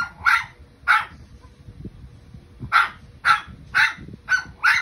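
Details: Dog that sings along with a passing train, heard producing loud, bright barks, first two spaced apart, then a faster run of five or six yelps after a pause, over a low steady rumble.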